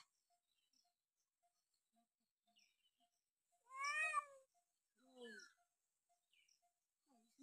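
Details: Playful domestic cat in a happy mood giving two short meows in a row, the first bright and slightly falling, the second lower and briefer. Faint regular ticking sounds in an otherwise quiet background.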